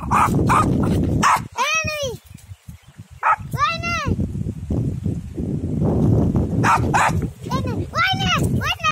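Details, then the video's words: Pomeranian dog barking out on a field: four high, arched, ringing barks, two widely spaced early and a quick pair near the end, set against steady human talking and rustling background noise. "Pomeranian Dog Barking on Field"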